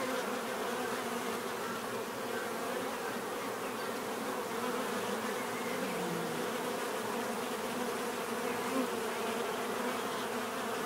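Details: Bees buzzing naturally in a constant, busy drone; overlapping hums at several pitches weave together, with occasional individual wingbeat tones sliding past in the steady mass of sound.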